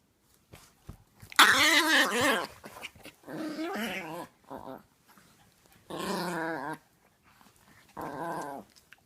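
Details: A tiny, full-grown, very vocal Chihuahua gives a run of warbling, whiny, gremlin-like growls in short bursts, each rising and falling in pitch, while playing with a 6-month-old Chiweenie puppy.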